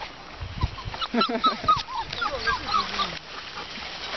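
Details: Dogo Argentino puppies, 42 days old: a run of high, thin squeaks and whines, some sliding down in pitch, repeated several times a second over a noisy background.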